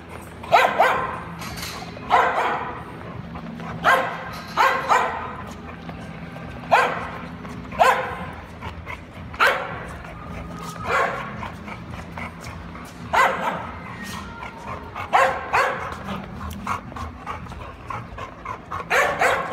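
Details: A dog with a ball barks in short, sharp bursts, roughly one every one to two seconds, about a dozen barks in a steady run over a low background hum.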